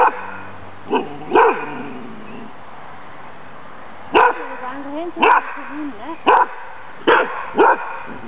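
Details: Playful female dog with strong hunting drive at a Danish Kennel Club temperament test, April 14th 2007; scattered sharp barks, some followed by short whining slides, grouped in a loose series.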